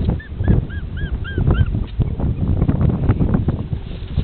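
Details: Playing puppy gives short, high, arched whines and yips, repeated about every quarter second through the first two seconds. Heavy low rumbling and thumping handling noise continues underneath throughout.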